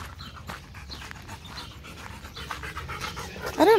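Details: Macho, a pet Rottweiler, pants in soft, breathy, irregular bursts. Small birds chirp faintly in the background, and a person's voice cuts in briefly at the very end.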